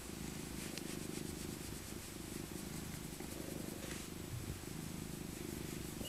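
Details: Purring of Maca, an old female tabby cat rescued from a park as a kitten, being cuddled in winter; dense, even low throbbing that runs unbroken, with soft rustles.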